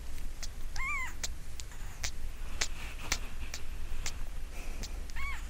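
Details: Five-day-old newborn kitten, possibly Munchkin, made to cry after its umbilical cord dropped off; two thin arched mews about four seconds apart, with clicks and rustling handling noise between them.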